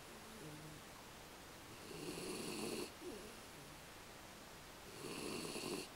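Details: Sleeping American Beagle Aki gives two long, raspy snores about three seconds apart, each building and fading, with thin, wavering nasal squeaks between them in a quiet room.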